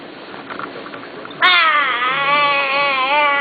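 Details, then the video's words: Wolf making noises: after a quiet, hissy start, a sudden loud sustained tonal howl begins, rich in harmonics and wavering gently in pitch, holding steady for about two seconds. "Wolf Ethan making noises"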